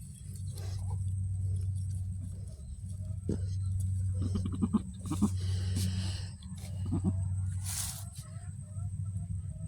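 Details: Goat just after giving birth, the second of two female kids delivered; a few short harmonic bleats around the middle, over steady low hum, with brief bursts of noise and background music.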